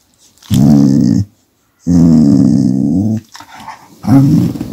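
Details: Displeased house dog growling when the massage stops, camera held close: three loud, throaty, vibrating growls, the middle one longest at about one and a half seconds, with brief silences between, in a small room.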